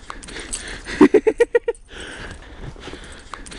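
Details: Corgi trying to eat snow lets out one fast run of about seven short, sharp yaps climbing slightly in pitch, followed by quieter snowy rustling.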